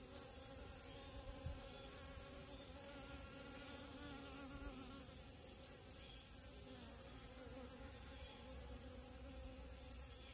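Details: Honey bee humming among rose moss flowers, a low wavering drone that swells early and then settles, over continuous high-pitched insect noise.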